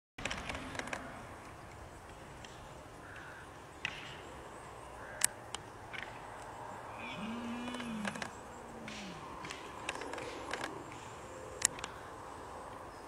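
A red deer stag gives deep, drawn-out bellows during the rut against a noisy outdoor background.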